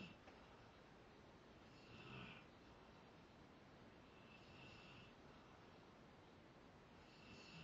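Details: Zakk, a Rottweiler, snoring while asleep: soft breathy rasps swell around two seconds and again near five and seven seconds over a steady low hiss.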